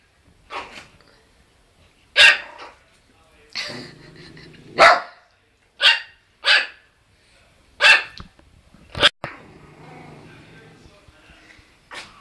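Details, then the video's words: Puppy barking at another dog indoors: about nine sharp, high yappy barks spaced irregularly over twelve seconds, some paired, with low growly rumbles between barks. "Cute puppy bark"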